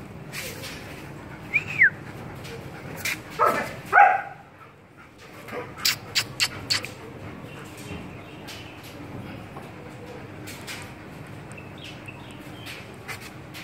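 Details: A one-year-old female German Shepherd gives a few short, sharp barks mixed with brief high whines, then falls quiet.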